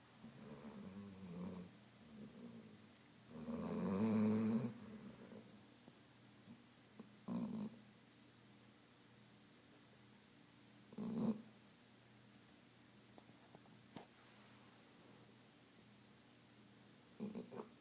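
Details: An exhausted female Weimaraner sleeps after hours of swimming, playing and running at a dog park, snoring in low, rasping breaths: one long loud snore, then shorter ones.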